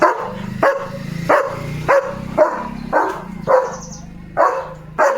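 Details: German Shepherd on morning guard duty at the gate, barking to warn off another dog near the house; steady harsh barks roughly every half second over a continuous low rumble.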